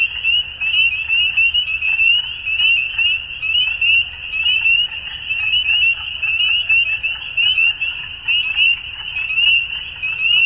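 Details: A dusk frog chorus: many callers pour out steady, shrill chirping trills, each note sweeping slightly upward, the whole mass pulsing about once a second without pause.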